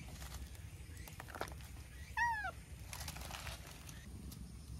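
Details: Napping milk-tea colored stray cat notices someone and comes chatting to be petted outdoors; one short bending meow, dipping then falling, amid rustling and low background hum.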